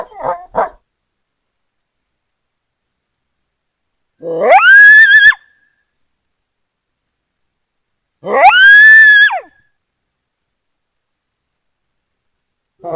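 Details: North American coyote howling: loud, drawn-out tonal wails that rise sharply then hold, each about a second long, repeated roughly every four seconds with silence between.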